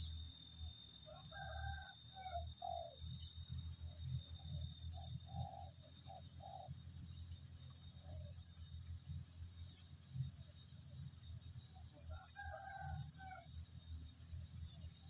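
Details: A continuous shrill cicada drone holds level for the whole stretch. In the background a rooster crows several times and other birds give short chirps, over a low rumbling noise.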